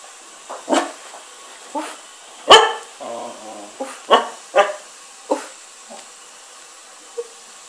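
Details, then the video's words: Five-month-old mixed-breed puppy doing soft 'silent' barking indoors: short breathy huffs and muffled yips, about eight bursts spaced irregularly over several seconds, one louder than the rest. "Mix breed puppy.. silent barking"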